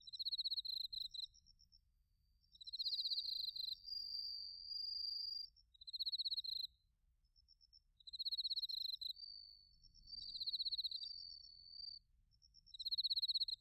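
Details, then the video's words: Autumn bell crickets and field crickets recorded in Narita, Chiba, Japan, on a TASCAM Portacapture X8: high pulsed trills lasting about a second, repeating every two to three seconds, overlapping a smoother sustained ringing tone. "秋の音 スズムシとコオロギの鳴き声 - Sounds of autumn, chirping of crickets and crickets"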